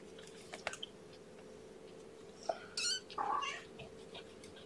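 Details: Cat indoors just back from a vet visit, among kittens; scattered clicks and rustles lead to a short, tonal meow near the end, over a steady low hum.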